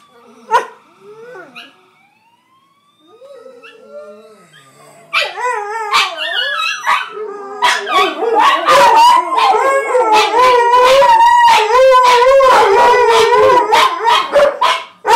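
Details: Miniature Pinscher and Chihuahua mix reacting to Grand Theft Auto sirens: a faint siren sweep first, then the dog breaks into loud, rapid, wavering yowls and yips that build into a steady howling chorus.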